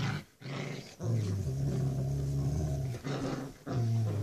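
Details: Rottweiler puppy, six weeks old, growling during a tug-of-war game with her mother; deep sustained rumbles, two brief breaks, steady and loud throughout in a small room.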